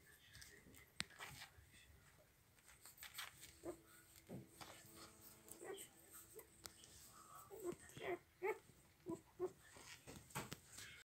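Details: One-day-old Dobermann puppies give short, thin, high squeaks and whines amid soft rustling and handling noise.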